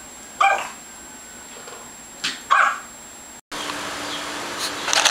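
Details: Tobi, a pet Yorkshire Terrier puppy born around December 2010 and filmed in May 2011, gives two short, sharp yipping barks about two seconds apart, followed after a cut by light clicking and scratching noises.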